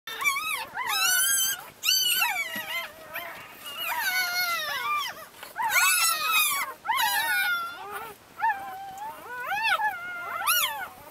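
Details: Ten Labrador Retriever puppies, some chocolate and some white, with their mother Leah in Brazil; overlapping high whining squeals rising and falling, several pups crying at once in bursts with short pauses.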